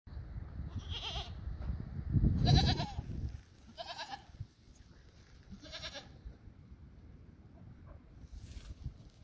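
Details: Female domestic goat giving birth, a newborn female kid doing well: five quavering, harmonic bleats spread across nine seconds, the loudest and longest near the middle over low rumbling handling noise, later ones softer and wavering.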